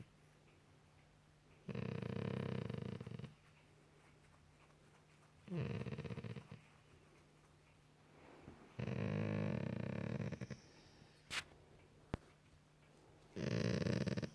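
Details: Indoor Golden Retriever on a couch at night, making noises while scratched beneath the ear; four separate low, grumbling moans spread through the clip, with a faint click and a steady background hum.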